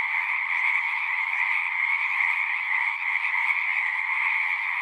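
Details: Massed frog song from a pond in a horse pasture: many callers blending into one steady high trill, with faint flickers of individual pulses, no other sounds.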